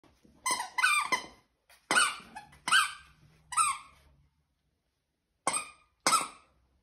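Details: A 13-week-old corgi puppy playing with a friend on 12 September 2021 gives sharp, high, squeaky yaps in quick clusters of two or three, with a pause before a final pair.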